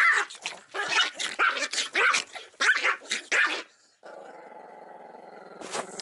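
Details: An enraged pet Chihuahua, upset by a camera poking in, lets out a rapid burst of harsh, irregular barks and snarls for over three seconds, then settles into a steady low growl.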